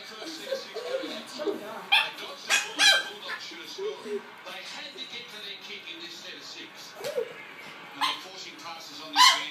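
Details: A Chihuahua gives short, squawky, hen-like clucks, half-effort barks made when air is blown into its face, in scattered bursts with people talking over and between them.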